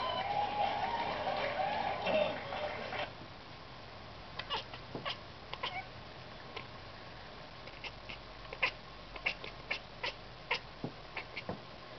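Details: Ruckus, a pet cat, talking while watching birds: a drawn-out, harmonic, wavering meow-like call for about three seconds, then scattered sharp clicks and short chirps at irregular intervals.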